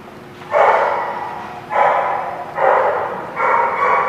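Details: Dog barking at The Barking Lot, recorded 11/4/16: four loud, drawn-out barks, each about a second long and spaced roughly one second apart, over a low steady background hum.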